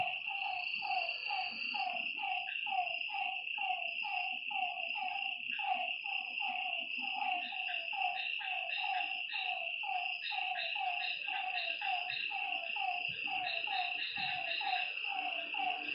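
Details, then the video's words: Nighttime frog chorus at a lakeside: clipped, descending notes repeat about once a second from many animals, layered over an unbroken high insect trill. "Lakeside night creatures and frog sounds"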